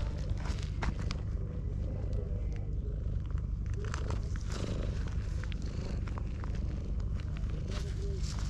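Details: Ginger tabby cat pushing a rival cat aside to keep a person to itself and seeking affection; a steady, low rumbling purr runs through the whole stretch, overlaid with soft rustling, clicks and handling noises.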